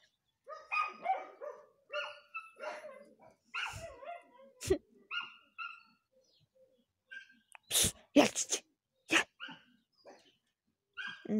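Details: Two small Bichon dogs give high, yappy barks in quick bursts, several per second, with pigeons around, and a few sharp clattering knocks near the end.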